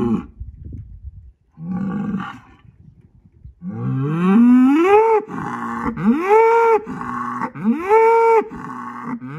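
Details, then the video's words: Dominant Angus bull in a barnyard, signalling to two other bulls that he is in charge; two brief moos, then a series of loud rising, arching bellows repeated roughly every one to two seconds. "Big Angus bull letting everyone know he is the BOSS!"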